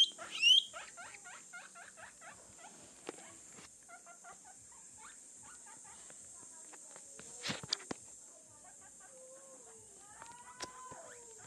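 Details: Young pet guinea pig giving rapid short squeaks and chirps, starting with a loud whistle then softer clustered chirps, with occasional knocks and a few drawn-out tonal squeals near the end.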